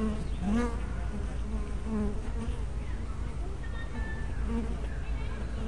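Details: Honey bees coming and going at their hive entrance; a layered buzz of several bees, each passing flier making a short bending tone, over a constant low hum.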